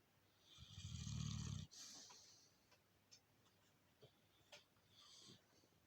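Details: Mother Alabai named Princess asleep and snoring: one deep, rumbling low snore lasting about a second, then near quiet with a few faint clicks and rustles.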